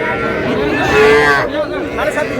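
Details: Young bulls and heifer calves at Aftabganj cattle market, Dinajpur, on 24 August 2026: a drawn-out lowing moo that bends slightly at its end, followed by people chattering nearby at the market.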